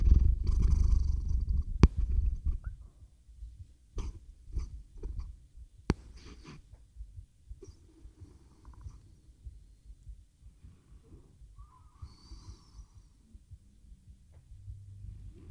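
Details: Purring domestic cat Theo settling toward sleep, recorded with a RODE NTG-3 microphone and Zoom H6; a strong low purr for the first seconds, then fading to quiet soft breaths and occasional clicks.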